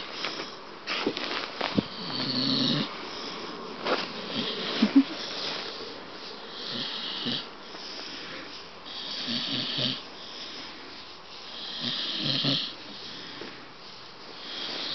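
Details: Bailey, a pet Staffordshire Bull Terrier, snoring loudly while wide awake; rough, raspy snorts in irregular bursts, several strong breaths clustered early, then slower rasping pulses around the ninth and twelfth seconds.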